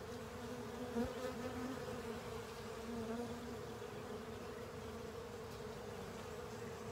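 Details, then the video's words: Honey bees and other insects at work cleaning out a honey filter; a continuous swarm buzz, with individual wingbeats swelling past briefly near the start and a wavering hum underneath. "Honey Bees & Pals Cleaning Up A Honey Filter"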